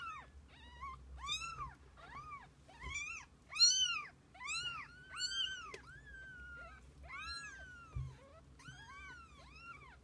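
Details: Mother cat with her kittens over a day together, a busy chorus of overlapping high mews, many short arched cries tumbling one after another for ten seconds, some longer drawn-out calls among them, low room hum beneath.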